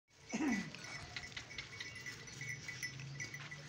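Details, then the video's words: Baby goat eating grass, giving one short wavering bleat near the start, followed by steady low rumbling background and faint ringing tones. "Goat Sounds"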